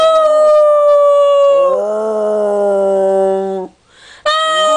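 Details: A long, sustained howl from Paola the dog holds steady, then settles into a lower drawn-out note before a short pause and a fresh howl at the close.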